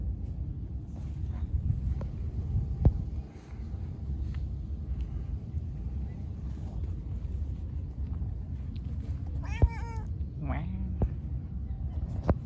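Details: Angry white cat said to be attacking everyone gives two short, harmonic, wavering meows close together near the end, over a steady low rumble of traffic and wind, with faint human voices and a few sharp knocks.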